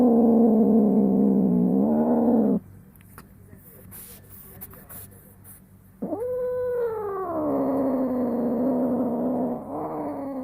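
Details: Young female pet cat in heat at home, one year eight months old, makes strange moaning cries while being wiped. A wavering low yowl stops abruptly. A quiet pause with small handling noises follows, then a sudden rising cry that slides down into a steady drawn-out moan.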